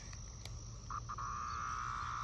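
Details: A periodical cicada outdoors on a fine day near a green ash at the Chesapeake Bay Foundation headquarters gives a loud, steady, mid-pitched droning buzz after a few brief stuttering starts.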